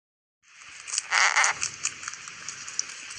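A rabbit's purr is a soft, scratchy grinding from gently rubbed teeth, not a throaty hum, with a brief louder burst and then faint ticks. It is made when the rabbit feels very happy and at ease.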